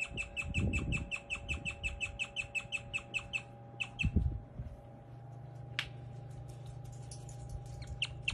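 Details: A pet guinea pig chirps in a fast, steady run of high, bird-like tweets, with soft thumps underneath. Chirping is a rare guinea pig sound, often mistaken for a bird.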